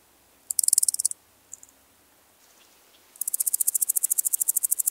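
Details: Omocestus rufipes, the woodland grasshopper, singing at Gaisberg, Austria, 15 September 2023, via ultrasound detector: a brief high buzzy pulse train, a couple of faint ticks, then a long rising series of rapid, evenly spaced pulses.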